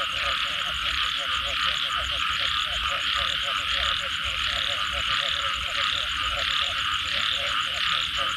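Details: Frog chorus after rain, low croaks repeating about 90 times a minute at uneven intervals, backed by a continuous bright buzzing wall of callers and a fine pulsed trill higher up.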